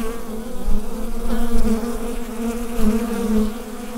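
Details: Short stretch of beehive drone, recorded with a Rode NT-USB microphone: an even, low-pitched hum with stacked overtones and brief soft swells in volume.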